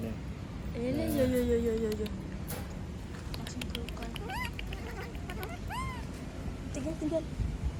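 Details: Screams of a female monkey left on her own. A low drawn-out whine opens, then sharp arched shrieks come in quick succession, with rumbling ambient noise behind.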